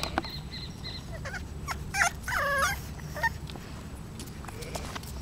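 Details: Male Bulldog puppy, 35 days old, born in a kennel, gives a few short high squeaky whimpers, then a longer wavering, whining cry and a final brief yelp over steady low rumbling background noise.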